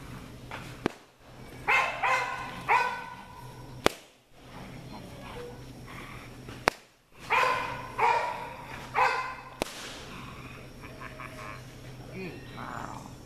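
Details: American Bulldog puppies giving short harmonic barks and yelps in two bursts, around two seconds and again near eight to nine seconds, separated by sharp clicks and quieter gaps, with a steady low hum underneath.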